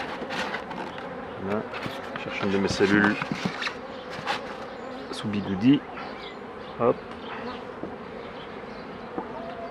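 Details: Continuous low droning of honey bees around hives a beekeeper is handling, a soft even hum under occasional taps and brief snatches of a man talking.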